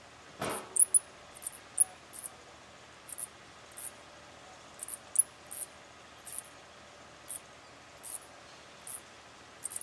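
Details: Mauritian tomb bats, a mating pair gripping a tree trunk by day, give about a dozen brief, shrill squeaks over ten seconds, some doubled, with one dull thump near the start and quiet background hiss.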